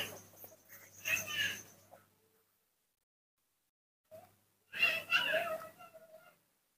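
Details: Baby monkey named Nomi calling when he wants to drink milk in the morning, kept and hand-raised indoors; two bursts of high, squeaky, strained cries a few seconds apart, with a person talking softly and a low hum beneath.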